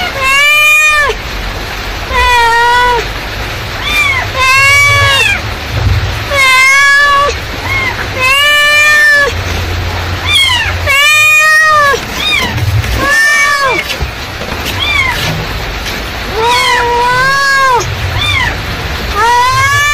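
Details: Mother cat repeatedly calling her kittens, about thirty meows a minute: short rising-falling mews alternating with longer drawn cries, persistent and insistent, over a low steady hum.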